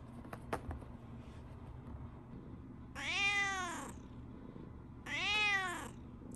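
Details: Morning greeting from Riri, a brown tabby pet cat, apparently protesting to her owner that the Shiba Inu Riko is missing. Two long, loud, arching meows about two seconds apart, with a few clicks and quiet indoor hum before them.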